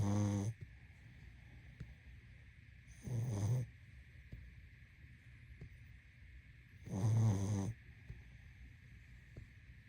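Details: Three gravelly snores from a sleeping pug, spaced three to four seconds apart, each short and throaty, with a steady hum filling the quiet gaps.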